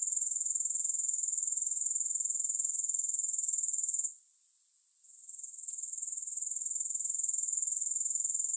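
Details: Grasshoppers chirring with no music: a continuous high, shrill, finely pulsed trill that drops away for about a second midway, then resumes at full strength.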